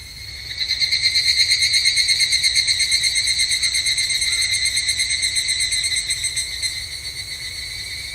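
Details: Evening cicada at a Japanese temple in summer, its shrill metallic ringing rising in volume after the first second, then holding a fast, even pulse throughout, with faint clicks above and a few soft higher notes.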